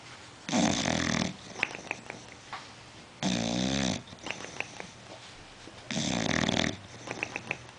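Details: Deep, rattling snores from Otto the bulldog, asleep indoors: three long, heavy, buzzing breaths roughly every two and a half seconds, with faint squeaky nasal whistles between them.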